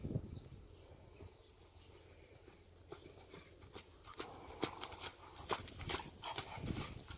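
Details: Imported Friesian horse offered for sale in North America; sharp, uneven hoof clicks begin after about three seconds of low rumbling quiet and grow louder and denser toward the end, with a soft background murmur throughout.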